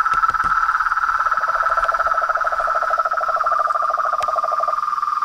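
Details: Dense trilling of toads, frogs and tree frogs, a bright rapid pulsed buzz joined partway by a second, lower pulsing trill that fades out near the end; a few knocks at the start.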